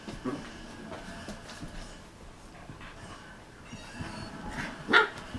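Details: Three Australian Shepherd puppies, 7½ weeks old, wrestling playfully, give soft, scattered yips and small whimpers, with one sharper yelp near the end.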